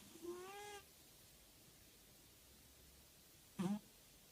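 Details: Motya the cat snores indoors: a slightly rising, nasal tonal snore lasting over half a second, then near-silence for about three seconds, then a short, rough, louder burst of breath at the end.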